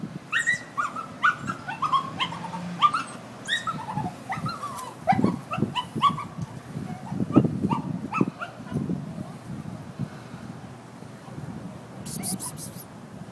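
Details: Worried dog left tied up outside, upset and crying for its absent people: a long run of sliding, rising-and-falling whimpers and short yelps, fading near the end, with low background rumble and a brief hiss.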